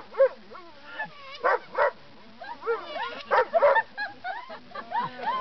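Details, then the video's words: A Weimaraner howls along as Happy Birthday is played on a kazoo, giving wavering, rising and falling cries amid laughter and applause. "Weimaraner Grace howls Happy Birthday"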